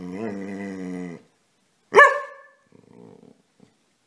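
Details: Casy, a pet dog, playing and wanting to be petted: a drawn-out tonal whine or growl lasting about a second, a pause, then one sharp loud bark, followed by a soft low grumble.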